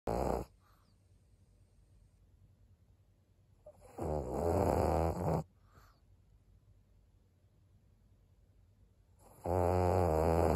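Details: Maria, an 11-year-old fawn female senior pug in Japan, snoring on 17 April 2022: three loud, rasping, low-pitched breaths roughly every five seconds, with quiet pauses between them.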